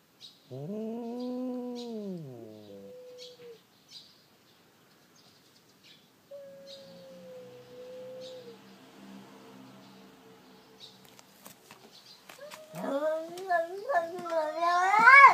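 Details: Two domestic cats, a tortoiseshell and a tailed black-and-white cat that are usual quarreling opponents, yowl in long, rising and falling wails escalating into harsher fight cries; the tortoiseshell's owner calls out to intervene at the end.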